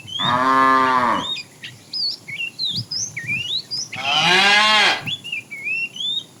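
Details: Tame cows walking neatly as a herd along a road, foraging; two strong, rich moos a few seconds apart, the second brighter and harsher, with busy bird chirps filling the gaps.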